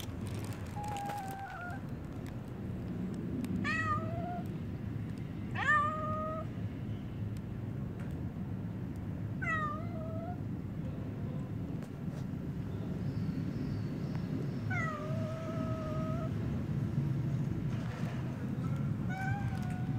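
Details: Stray cats outdoors meowing repeatedly, about six drawn-out falling meows spread over twenty seconds, some overlapping, with constant low traffic-like rumble underneath.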